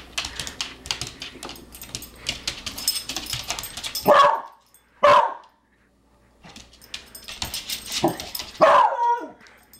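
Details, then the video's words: Beagle at home squaring off against a tiny hex bug robot, giving three short, sharp yelping barks spaced a few seconds apart, with continuous rattling and clicking from the robot in between. "Beagle vs Robot"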